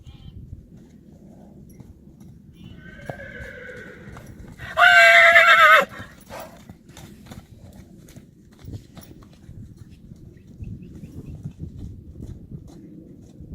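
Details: Friesian horse colt, three years old, playing outdoors: a loud shrill neigh starts with a rising note, then breaks into a shaky, quavering whinny lasting about two seconds, followed by quiet hoof thuds and low outdoor rumble.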